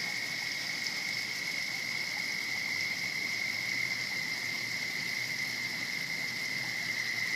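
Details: Frog in a pond, a turtle nearby, producing a long, unbroken, high-pitched trill at steady pitch for over seven seconds, somewhat distant against a hissing background.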